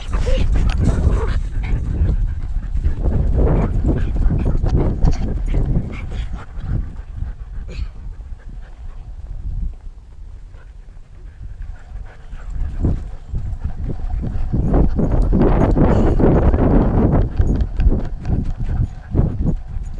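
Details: Freya, a Siberian Husky carrying a GoPro on a fetch harness, breathes in rough, breathy bursts that come and go in loud clusters. A quieter stretch falls mid-way, with handling and movement noise throughout and brief speech in places.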